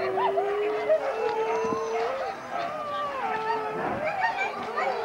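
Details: Huskies at a race weekend in the Forest of Dean, England, November 2001, taken from an old VHS tape; a chorus of overlapping wavering howls and whines, one long steady tone dominating, with human voices mixed in.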